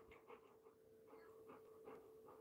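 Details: Labrador Retriever named Coco, out of breath while being urged to jump, panting softly in quick breathy bursts about every 0.4 seconds under a steady electrical hum.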